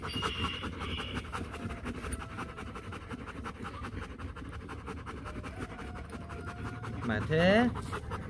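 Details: Rottweiler at the Rottweiler Gervi kennel in Vietnam panting steadily in quick, rhythmic breathy bursts throughout, over a low background hum; a brief rising voiced sound, possibly a person speaking, cuts in near the end.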